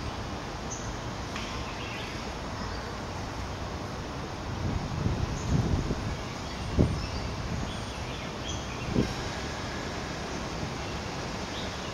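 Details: Steady low rumble of outdoor background noise, a thin continuous high whine, and a few brief knocks, with no clear animal call.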